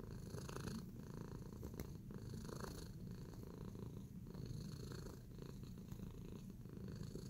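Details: Tacy, a pet cat in a relaxed mood while kneading, purrs in a steady low rumble that runs unbroken throughout, with faint soft rustles and brief clicks above it.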